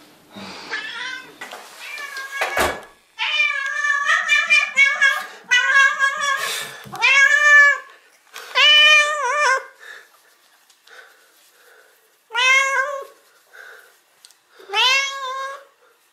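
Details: Pet cat greeting its owners again after time apart, indoors: a run of about seven loud, drawn-out meows with bending pitch, grouped closely, then spaced by short pauses. A brief human voice is heard early on.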